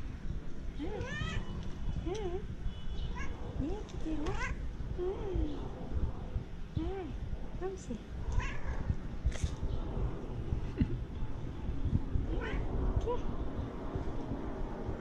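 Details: Cat meowing repeatedly: short, bent, wavering meows about every second or two. They fade toward the end against steady low, hissing background noise.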